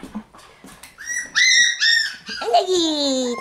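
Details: Shiba Inu puppies in a puppy room on May 20, growing livelier: short rising then sustained high whines in quick succession, with a few soft clicks at the start and a voice nearby.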